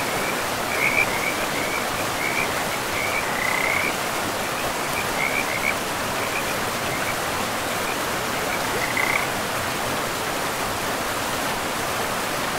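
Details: Frogs beside a forest river: a run of short, raspy croaks early on, then near-silence from the animals and a single late croak, all over continuous rushing water.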